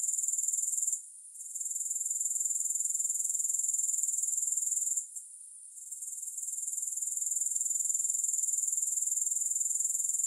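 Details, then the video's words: Grasshopper calling steadily in a soothing no-music recording, a shrill fast-pulsed buzz that drops out twice for about a second each time before returning at full strength. "3 Hours of Grass Hopper Sounds"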